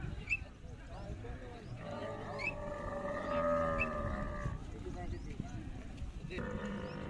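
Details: A rare-breed camel calling: a drawn-out nasal, droning groan of nearly three seconds that swells slightly in the middle, over a low rumbling background with a faint high chirp.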